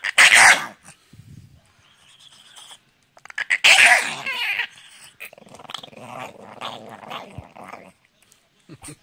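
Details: Domestic dog sounding like a gremlin: two sharp, bright yelping bursts a few seconds apart, with softer rough growling and scraping noises in between and a longer low warbling growl near the end.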